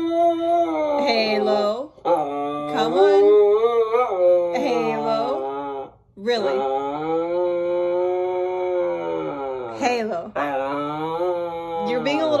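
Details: Indoors, the vocal Siberian Husky Halo keeps answering back over being on the bed with loud, rich, yodelling howls. Long held notes bend up and down, in four to five phrases separated by brief silences.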